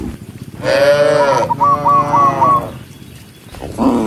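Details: Tame cattle herd walking together along a countryside path at sunset, calling other cows home: two long, rising-then-falling bellowing moos, then a sharp series of short chirping notes and a final shorter moo.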